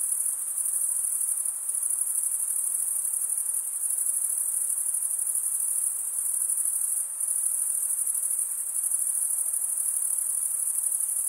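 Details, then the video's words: Crickets stridulating, males rubbing one wing's toothed vein against the other, in a continuous high-pitched shrill trill that holds steady throughout with only slight dips in loudness; no other sounds stand out. "Most relaxing cricket sound for 8 hours"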